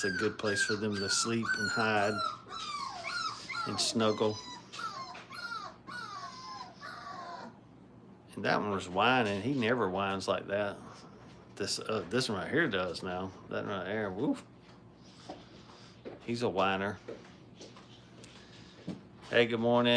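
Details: Five-week-old Brittany puppies in a kennel during crate training, whining and yelping in high, wavering, overlapping cries that rise and fall in bursts, with quieter gaps between the outbursts.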